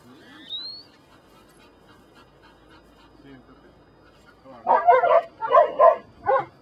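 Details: Brujo, a Belgian Malinois from the des Champs kennel in Mexico, working in personal protection control training: quiet start with faint murmur, then four loud, harsh barks in quick succession over the last two seconds.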